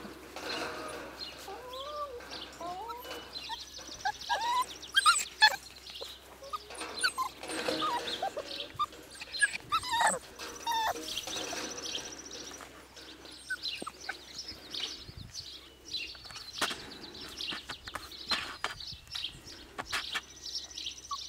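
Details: A litter of four-week-old Siberian Husky pups, the offspring of Nymeria and Deeks, squeal and squeak almost nonstop. Overlapping high, wavering whines come from several pups at once over soft rustling.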